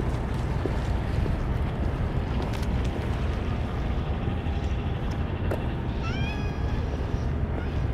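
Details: A stray cat among a larger-than-usual group fed Churu treats without dishes or Kalkan; a single short rising meow late on, after several seconds of dense low-pitched background noise and rustling.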